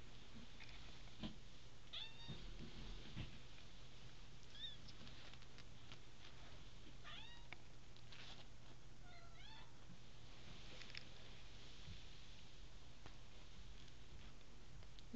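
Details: Three-week-old bobtail kittens from a litter of five, indoors: thin, high mews scattered across the stretch, mostly faint, over a steady low hum and light handling noise.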